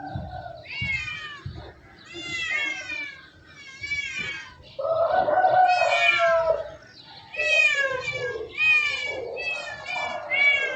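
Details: Domestic cats meowing repeatedly, with harmonic rising-and-falling meows in overlapping bursts and a lower drawn-out yowl partway through; little background noise.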